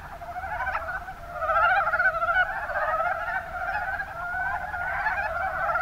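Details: Chorus of mountain brown frogs, Rana ornativentris, in Kumamoto Prefecture's Kuma basin, Japan, many frogs croaking together in a thick, throbbing wall of rapid rattling notes that swells and eases.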